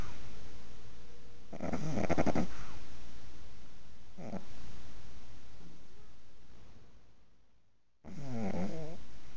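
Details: Six-month-old pug asleep and snoring, with three rough, rattling snorts spaced a few seconds apart over steady background hiss. The last snort is wavering and gurgly.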